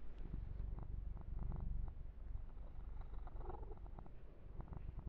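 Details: A domestic kitten named Yumak purring in a low, even rumble as he is massaged, with faint scratching and rubbing sounds of fur being stroked.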